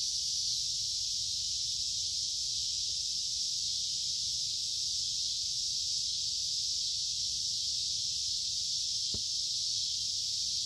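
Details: Cicadas in summer: a dense, unbroken high-pitched buzz holds steady in loudness for the whole stretch, with a faint low rumble underneath and a brief click near the end.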